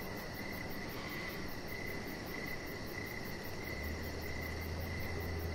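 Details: Crickets outdoors in the evening beside a deck, with steady pulsed chirps in a mid-high band and fainter rapid ticking higher up, all over a constant low rumbling hum.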